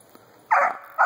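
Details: Four-month-old female Treeing Cur at a hollow squirrel den tree, treeing grey squirrels: one drawn-out, loud bark with a falling tail, then the start of another bark after a short pause.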